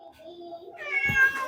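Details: Siamese cat giving a single loud, harmonic meow in the second half, rising then falling, preceded by soft low sustained music tones.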